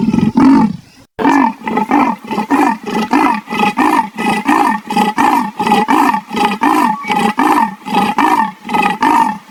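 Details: Leopard producing a fast, even train of rough, throaty grunts, roughly two per second, each a short harsh burst with a clear tonal band above, after a brief opening grunt and gap.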